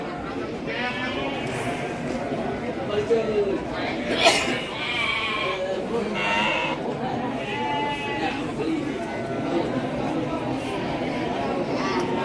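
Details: Garut sheep for breeding, offered at Andir market in Bayongbong, Garut; scattered trembling bleats from several animals, overlapping with people talking and a sharp knock.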